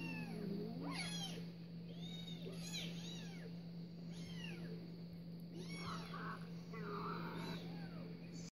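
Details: Cat meows heard while a pet cat named Louis reacts to cat videos: a string of drawn-out, arching, slightly nasal meows close together, over a constant low hum.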